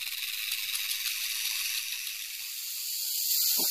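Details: Continuous hissing buzz of a western diamondback rattlesnake's rattle, even and high, swelling slightly louder toward the end, with a couple of faint low thumps.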